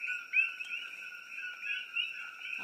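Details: A dense night chorus of coqui frogs at a sanctuary in Pahoa, on Hawaii's Big Island, high chirping notes blending into a steady ringing wall of sound.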